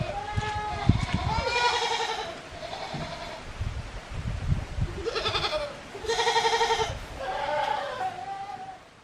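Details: Goats at feeding time on a handmade farm in Yoshigake, Himi, Japan, recorded 24 January 2021; several loud, quavering bleats, some long and drawn out, rise over soft voices and rustling.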